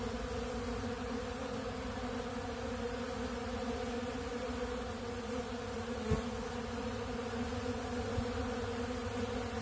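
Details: Steady communal hum of honeybees feeding on pollen at a large blue feeder, the buzz holding a constant pitch and volume, with one sharp tick partway through.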